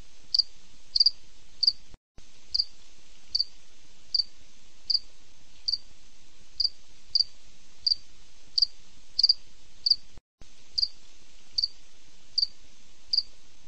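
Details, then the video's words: Rhythmic night chirping of a cricket, thin high pulses roughly every 0.7 seconds, some paired closely, with two sudden short silences breaking the otherwise continuous series. "cricket sound night relax mode 2020"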